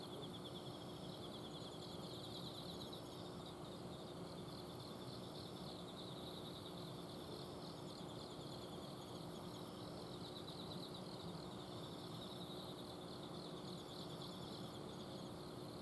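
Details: Long passage of autumn insect song on a night in Azumino, Japan, recorded in a garden: several high trillers repeat shimmering bursts every couple of seconds above a steady mechanical hum from an air-conditioner outdoor unit.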